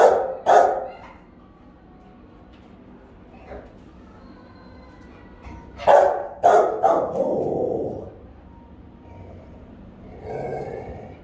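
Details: Three Rottweilers keeping guard at home, the mother Melsee giving round, resonant barks with her pup Siro joining in: a double bark, a faint one, then a quick burst of four barks and a trailing low growl-like sound.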